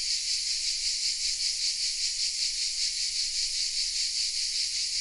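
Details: Chorus of cicadas singing in the oaks around Vézénobres, southern France, captured on a Sony RX10 M3; an unbroken, hissing high-pitched drone that throbs rapidly and evenly, with nothing else audible.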